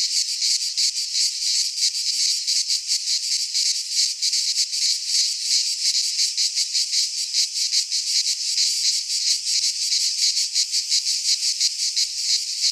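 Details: Midsummer cicada song from Greek pine woodland: a loud, high, rasping drone throbbing in quick repeated beats for the whole stretch, without any other audible animals or people.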